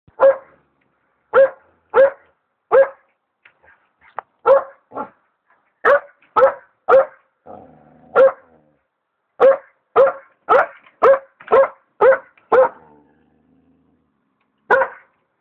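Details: A young Alaskan Malamute puppy barks loudly in short, sharp bursts, often in quick runs of two or three, while trying to attack a hot air balloon.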